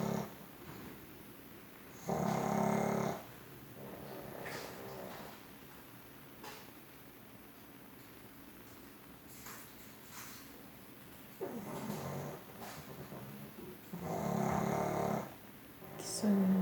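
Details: Sleeping pug snoring indoors in a small room: broad rasping snores in bursts of about a second, with pauses between, some breaths louder than others; quiet room tone in the gaps.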